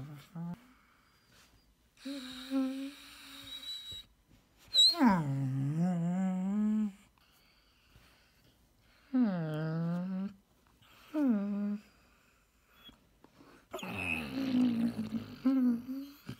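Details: A female Basset Hound grumbles in the morning in drawn-out, wavering moans, frustrated noises protesting when the petting stops.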